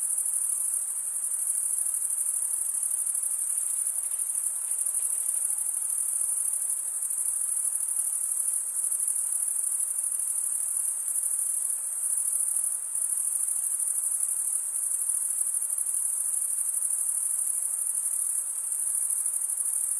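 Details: Chirping crickets, with the males producing sound by drawing one wing over the comb-like teeth of the other. A sustained, very high, rapidly pulsing trill runs without pause at an even level, with nothing else heard.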